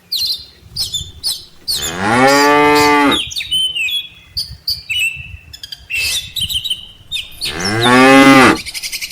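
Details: Tame cattle herd, mothers followed by calves, heading back to the farm barn from a rice field; two long, strong moos with a rising-falling tone, separated by quieter chirps and squawks of birds.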